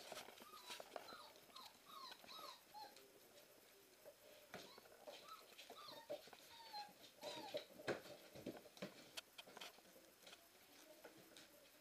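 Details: Several Siberian Husky puppies on their first Christmas Eve, indoors, giving soft, short whines and yips that bend up and down, scattered through the clip among small knocks and rustling.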